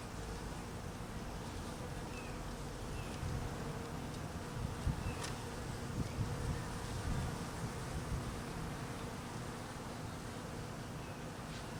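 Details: Continuous low humming drone of honey bees being fed, hungry during cold weather; the buzz swells slightly midway, with faint steady tonal bands and occasional light ticks over the dense murmur.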